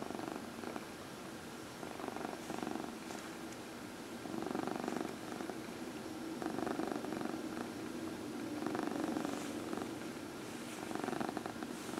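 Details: Cat being massaged purrs continuously, the rumble swelling louder around the middle and again near the end, pulsing quickly and evenly beneath light brushing sounds of hands on fur.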